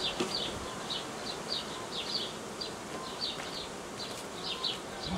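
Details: Honey bee swarm, with queens from last year or older, tended by a hobby beekeeper on 18 May 2018: a steady, dense buzzing hum fills the background while short, high bird chirps repeat in quick bursts throughout.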